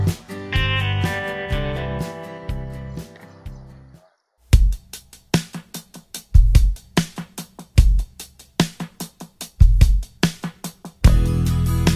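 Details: Loud music plays: sustained chords give way, after a short pause, to punchy drum-kit beats with kick and snare hits, then a full chord returns.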